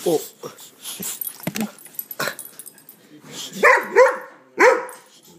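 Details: Pet dog that hates an air pump, giving a few short, rising barks toward the end, with a person repeatedly asking what it is over quieter rustling.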